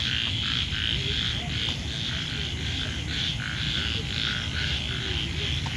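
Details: Frogs croaking at night on a campus rooftop under the moon: low, scattered croaks sit beneath a steady, dense shrill buzz of many insects that runs through the whole recording.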